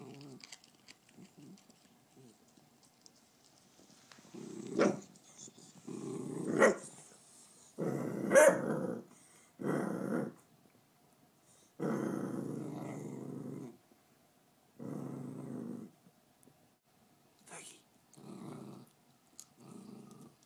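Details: A female beagle guarding her bones growls in rough, drawn-out bursts of one to two seconds, broken by a few sharp barks and short snarls, in a quiet indoor room.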